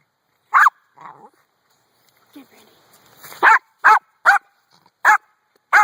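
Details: Brandy the dog barks at a rock: a single bark, a softer low sound and a quiet voice, then a run of four sharp barks in quick, uneven succession.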